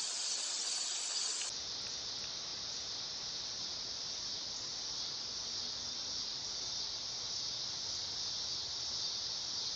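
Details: Dog-day cicada singing. A shrill, high buzz is already going, then swells suddenly after about a second and a half into a full, continuous electric whine that carries on unbroken to the end.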